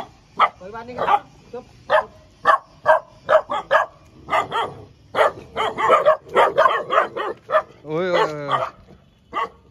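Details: Tibetan Mastiff puppies, healthy and active, in Haldwani, Uttarakhand, India, giving a rapid run of short sharp yapping barks, several puppies overlapping, with a whining yelp near the end.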